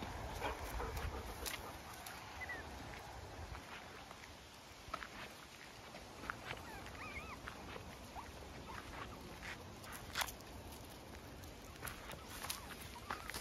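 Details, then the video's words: Puppies out on a morning walk, curious and following their mother, give soft wavering chirps and whimpers, brief squiggly rising-falling notes scattered through steady outdoor background hiss with occasional rustles and clicks. "Puppies on morning walk, full of curiosity, chirping & wagging tails"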